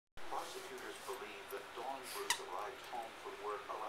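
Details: Cavalier King Charles Spaniel puppies playing indoors give short, high, squeaky arched whines, about five across a few seconds, over a steady low hum and soft room noise.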